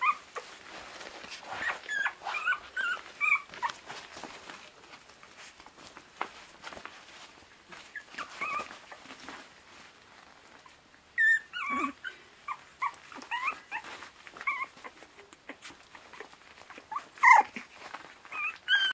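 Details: Twenty-five-day-old Border Terrier puppies at a kennel, a litter whimpering and squealing in high, wavering notes, clustered in busy bursts with a quieter stretch midway, then sharp yelps near the end, over soft shuffling and rustling.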